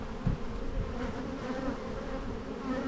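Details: Honey bees bringing in plenty of pollen at a hive in spring: a warm, steady wingbeat hum without pause for nearly three seconds.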